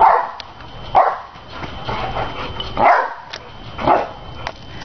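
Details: Big dog Nene bounces on a trampoline to shouts of encouragement. Five rough, loud bursts land roughly once a second, unevenly spaced, with a faint steady high whine behind them.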